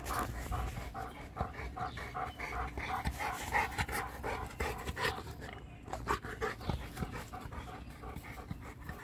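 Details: Mastiff-type dogs, a Boerboel, an American Bully and a Serbian Defense Dog, panting rapidly and irregularly, about three breaths a second, with a steady background hum.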